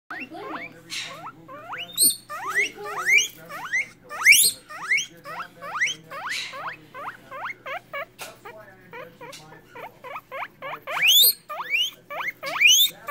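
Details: Guinea pig wheeking: a rapid series of short, steeply rising squeals sweeping upward, repeated several times a second with brief gaps, some reaching very high and shrill, over a faint steady low hum.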